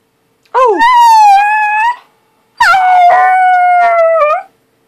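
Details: Happy, tail-wagging puppy howls twice indoors: each howl opens with a quick upward swoop, then holds a long, fairly level, slightly falling tone for over a second, separated by a short silence.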